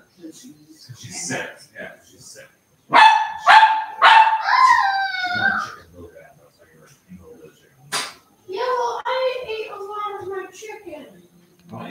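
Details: Cavalier King Charles Spaniel puppies playing in the house: a quick burst of high-pitched yips running into a drawn-out, wavering whine, then softer whimpering notes later, with human voices talking in the background.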